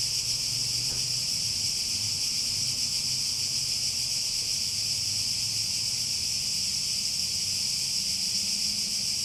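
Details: Cicadas produce a constant high, sizzling drone at steady volume throughout, accompanied by a soft low rumble and a faint brief tick near the start.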